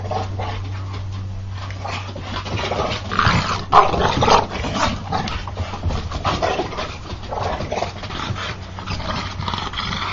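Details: American Bulldogs play fighting: rough, breathy panting and short gruff growling bursts come in uneven clusters, loudest near the middle, over a steady low electrical hum.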